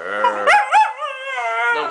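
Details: Toninho, a little dog, vocalizing while 'talking' with his owner: a two-second tonal, wavering howl-like sound, rich in harmonics, with pitch swoops early on, then a sustained even tone.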